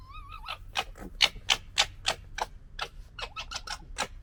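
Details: Red fox cubs from the 2021 litter gekkering while fighting; rapid, harsh, clicking chatter bursts repeating about three or four times a second, with a short wavering whine at the start.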